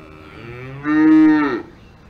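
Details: Cow on a farm in the Alps giving a single short moo, a harmonic-rich lowing lasting under a second that swells and then ends abruptly, with quiet background otherwise.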